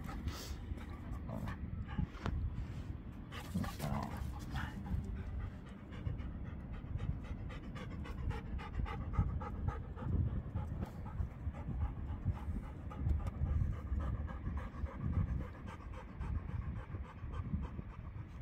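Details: Elderly Labrador Retriever that loves roughhousing, panting hard and continuously, breathy low-pitched puffs with some scuffling and handling noise.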